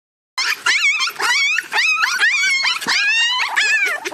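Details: Puppy screaming in a crate, crying for hours: loud, high, wavering whimpers and yelps that rise and fall in pitch, coming in quick bursts after a short silence at the start.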